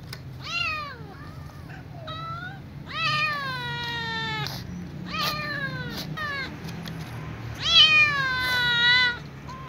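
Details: Ginger kitten at night pleading for food beside her family: a busy series of meows, some short and rising, others long and sweeping down, overlapping at times, with a few soft clicks.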